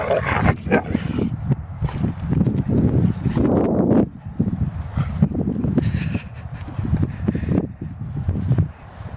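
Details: Deerhounds Art and Finn play fighting, with throaty growls and grumbling bursts in uneven clusters, a short lull near the middle, then more rough growling over scuffling paws.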